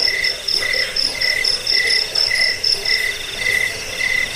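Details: Cricket calls from a rat-repelling, sleep-inducing track also used for bird training: evenly spaced high trilled chirps, a bit over two per second, with a persistent piercing tone behind them.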